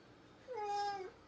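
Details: House cat indoors uttering a single clear, tonal meow that rises slightly and holds steady for about half a second in a quiet room.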